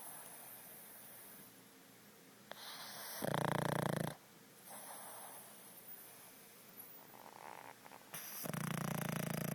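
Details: Pug snoring indoors in a small room: low, rough breathy snorts in a steady rhythm, with two louder bursts of broadband noise partway through and again near the end.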